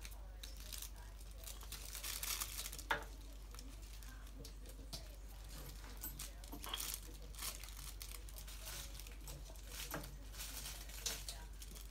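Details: Quiet indoor crinkling and tearing noises with faint, distant speech in a small room, with no animal voice clearly heard.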